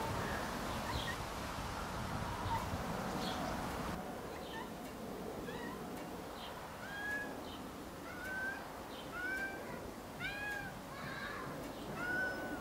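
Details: Rags, a cat crying alone in the garden while Snow White goes for a walk, gives a run of repeated meows about once a second, growing clearer and more urgent, some arching, after a stretch of rustling outdoor noise.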